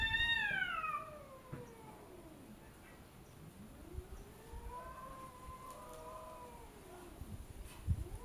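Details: Cats arguing with each other: a loud falling meow opens, followed by long low moaning yowls that swoop up and down, then overlapping wavering cries near the end.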